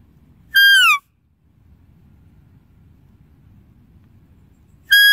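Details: One full shrill, harmonic deer call sliding down in pitch, followed after about four seconds of faint low rumble by the start of another.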